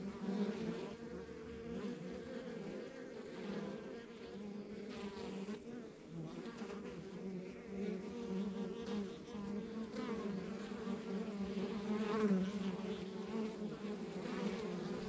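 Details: Dense honey bee drone from a backyard beehive in the countryside, steady low buzzing chorus with occasional louder swells as single bees fly close, no other sounds standing out.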